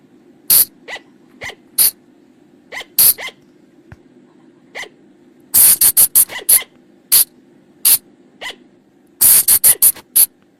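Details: Sharp shrieking calls of a flying lemur (pha chong), used to draw the animals in at night: spaced single shrieks and quieter upward squeals, then two rapid clusters of piercing notes, faint low hum throughout.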